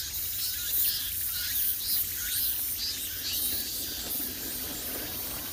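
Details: High, shimmering cicada drone on the Gwangneung forest path in Gyeonggi Province, Korea, swelling in soft pulses about twice a second over a low rumbling background.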